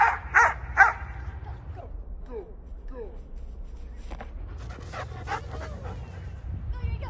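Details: Yuri, a young German Shepherd aged six and a half months, barks three times in rapid, punchy bursts during frisbee play and obedience training, followed by a person talking and softer sounds.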